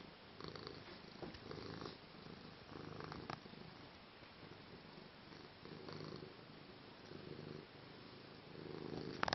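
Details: A cat purring at night, a soft low rumble that swells in short bursts every couple of seconds over a quiet, hissy background.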